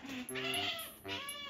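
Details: A female pet otter begging for a cat's food at home, giving drawn-out, nasal, wavering squeals in two bursts, the second short, with a high-pitched tone overhead.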